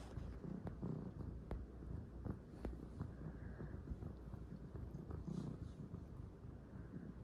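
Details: Purring calico kitten absorbed in kneading: a rhythmic low rumble that swells and fades about three times a second, overlaid with light clicks and fabric rustles.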